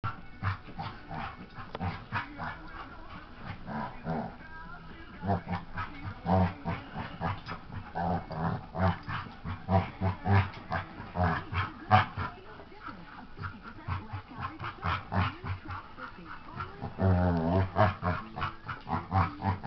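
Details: Nelson, a dog, playing with his baby sister indoors; a steady run of low, rough grunting growls and huffs, irregular and rapid, with scuffling throughout and a louder burst of growling near the end.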